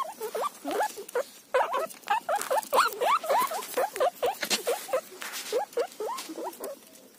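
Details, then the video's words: Guinea pig munching a cauliflower leaf, giving a steady series of short, rising squeaks, roughly three per second, each swooping upward, with crisp rustling and chewing noises between them. "फूलगोभी का पत्ता खाते हुए गिनी पिग"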